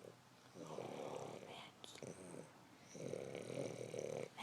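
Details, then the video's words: Mac, a sleeping dog, snoring indoors: two long, rough, rattling breaths about two seconds apart, each lasting around a second, with quiet pauses between them in a small room. "Mac snoring"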